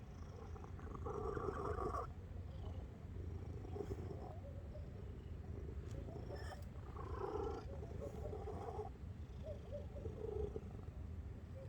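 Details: Domestic cat purring with a steady low rumble, joined now and then by soft tonal meow-like sounds lasting about a second each.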